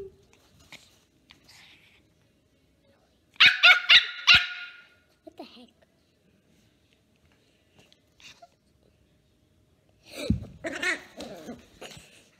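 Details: Three-month-old Pomeranian puppy playing with a little girl, giving high, sharp puppy barks in a quick cluster of about four, then another burst of yappy barks near the end, with quiet gaps between.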